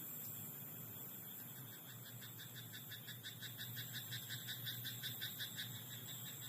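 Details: Night-time croaks from a frog in a rice paddy, rapid pulsed rasps repeating roughly three times a second, growing louder toward the end, with a constant thin high whine and low background hum.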